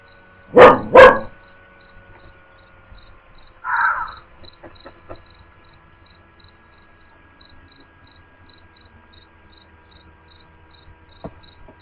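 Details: Dog giving two sharp barks close together, then a brief muffled yelp, followed by quiet background with faint clicks.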